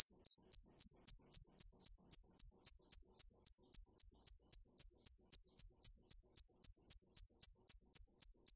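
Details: Close cricket (dế mèn) song of evenly spaced, piercing high chirps, roughly four a second, unbroken across the whole stretch in silent surroundings.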